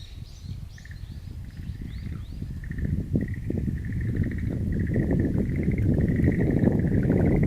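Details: Chorus of frogs echoing across a wildflower garden, recorded April 11, 2013: rapid pulsed trills repeat in overlapping bursts, a few higher chirps early on, and a loud low rumbling noise building beneath.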